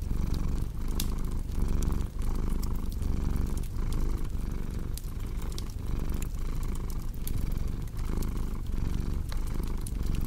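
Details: Steady cat purr, a throaty rumble rising and falling in regular cycles under frequent crackling and popping from a wood fire.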